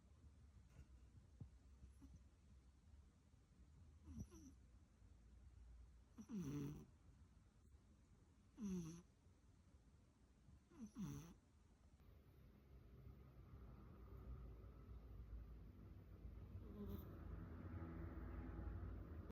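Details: Snoring of a pet cat, distinct from purring: a few faint breaths, then three clearer low rasping snores about two seconds apart midway. After that, steady rising background hiss covers the rest with no more clear snores.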